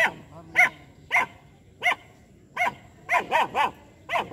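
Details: Two-month-old female German Shepherd puppy named Jass in attacking mode, barking at a street dog and a buffalo: sharp high yappy barks, single then in quick bursts of three, with faint whimpering between.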